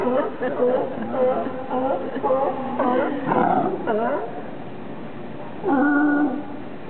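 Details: Sea lions lounging on a raft in Monterey, California call with hoarse, harmonic barks and drawn-out groans, one overlapping another.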